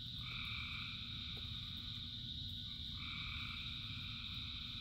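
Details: Rain-soaked frog chorus, thousands singing together: a constant high-pitched drone, with two long sustained two-tone calls, one early and one near the end, all over a dense patter of falling rain.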